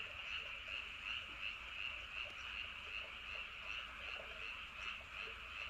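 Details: Frogs calling together at night near Andong's Wolyeonggyo Bridge and Hahoe Village, South Korea: a steady wall of rhythmic, rattling croaks pulsing close to three times a second, with soft low-pitched ambient noise underneath.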